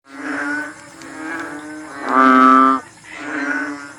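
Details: A frog at night gives a run of low, moaning, tonal calls, one louder and steadier than the rest. It is a frog new to the town, and the recordist is unsure whether it is a bullfrog or another species.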